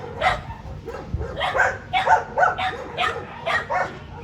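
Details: Dogs at a Japanese dog zoo, recorded in May 2022, barking lively; a rapid run of about eight sharp, yappy barks in four seconds.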